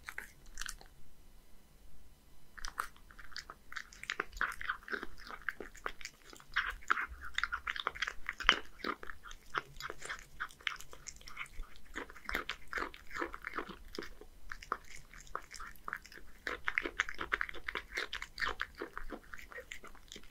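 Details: Hige, a male Scottish Fold aged one, eating a fish-and-kibble mix of horse mackerel and dry food indoors in Japan; after a brief quiet start, steady crackling crunches and chewing continue with slight swells and dips.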